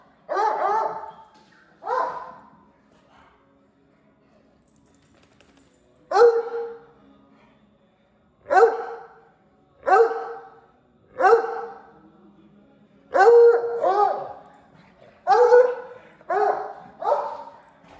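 A Bluetick Coonhound gives deep, drawn-out baying barks in irregular bursts.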